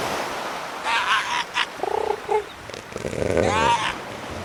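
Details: Underwater calls of killer whales: broad buzzy bursts, short honk-like harmonic calls in the middle, then a longer rising and falling pulsed call against a constant sea hiss.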